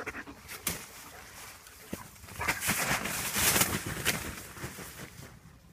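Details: German Shepherd at play, panting in quick breathy bursts with broadband hissing noise and a louder stretch in the middle, among scattered clicks and rustling.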